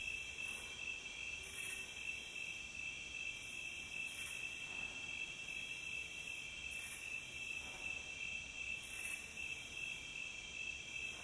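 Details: Steady chorus of crickets from a nature recording, shrill fast-pulsed chirping at constant pitch for the whole stretch, with several brief swishing bursts and light low background noise.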